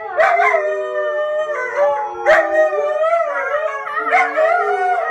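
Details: Young puppy's howl: sustained, quavering notes broken by sharp upward yips about every two seconds, each sliding back into a lower drawn-out wail.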